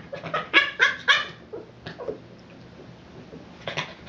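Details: Boston Terrier frustrated over an out-of-reach ball: three loud whiny yelps, a couple of softer ones, a long quiet gap, then one more yelp in a small room.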